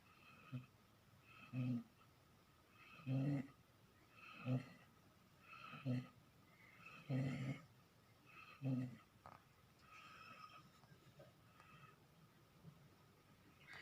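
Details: Dog snoring steadily, about seven rough, throaty snores spaced roughly every one and a half seconds, each a short low rasp, easing into softer breaths near the end.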